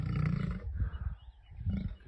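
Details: Wild male lion in the Masai Mara, attacked and expelled from his pride by two brother lions. A brief, very deep growling roar opens, then breaks into low, throaty rumbles that rise again at the end.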